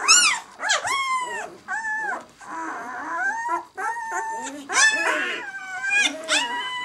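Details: Six-day-old White German Shepherd puppies of the "of White Night" B litter whimpering and squealing: high, harmonic, arching cries, several overlapping and repeated in bursts with short pauses.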